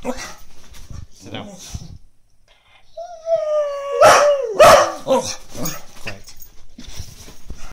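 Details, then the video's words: A female Brittany dog barks at the neighbour's cat asleep on the lawn, trying to wake it: a high, falling whine followed by a quick run of sharp, loud barks. "My Brittany dog barking at cat next door"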